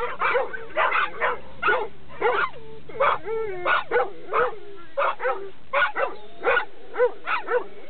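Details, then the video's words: Excited barking from a Labrador Retriever close to a dog run, loud clipped barks mixed with yelping, whine-like notes, a low engine hum during the first half. "ラブラドール ランに近づくとうるさいです。"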